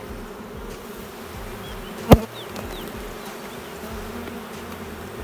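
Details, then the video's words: Inspection of a honey bee hive lacking brood and likely losing its queen: a steady low buzzing drone broken by one sharp loud knock midway, with faint bird chirps in the background. "C'est quoi une ruche bourdonneuse ? Je découvre avec vous que mes abeilles n'ont plus de reine..."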